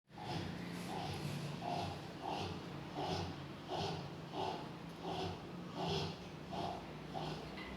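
A Rottweiler snores in a steady, rumbling rhythm, each breath rasping about every seven-tenths of a second.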